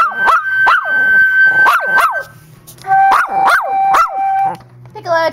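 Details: A dog named Trooper, who loves the flute and piccolo, howls along to a flute, its voice rising and falling in arching yips and wavering howls.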